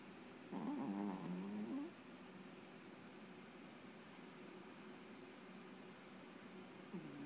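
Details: Pet Chihuahua dreaming while asleep makes a muffled, wavering whimper lasting over a second, with pitch wobbling up and down. Quiet room hiss follows, then a brief faint whimper near the end.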